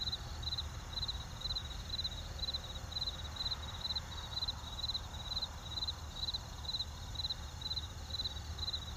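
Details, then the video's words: A cricket gives crisp, high, clicking chirps at an even pace, about two each second, clearly above a soft low background of distant traffic. "Jangkrik dengan Lalu Lintas Jauh"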